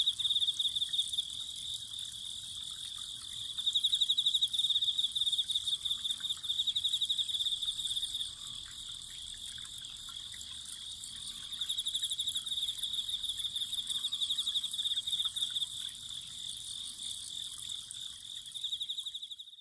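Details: Autumn insects trilling continuously in high, ringing tones beside welling spring water, several overlapping singers swelling and fading over a faint watery background.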